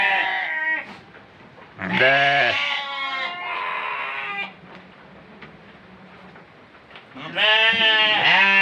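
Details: Goat meant for Qurban sacrifice gives three strong, quavering bleats near the start, middle and end, with fainter bleating and low murmur filling the gaps between them.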